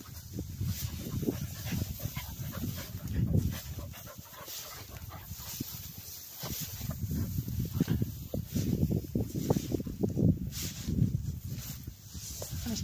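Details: Cocker spaniel panting while retrieving along a river bank during gundog-style training; rhythmic breathy low bursts in irregular clusters, with outdoor background noise.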